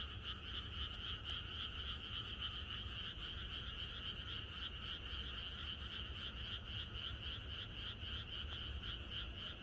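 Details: Frogs croaking together in the Korean countryside on the night before rain: a dense, continuous chorus of rapid pulsed calls, about three or four per second, in two steady bands high and mid pitch, over a low rumbling background.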